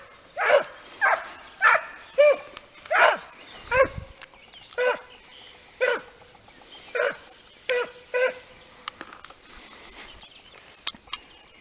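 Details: A steady run of about fourteen bays, roughly one a second, comes from Italian hounds training on hare. The cries are short and ringing, with a few fainter ones near the end.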